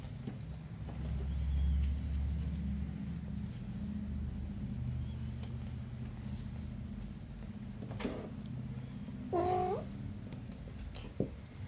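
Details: A mother cat with her kitten gives one short meow near the end, a clear tonal cry that rises then dips, set against a steady low rumble with scattered soft clicks.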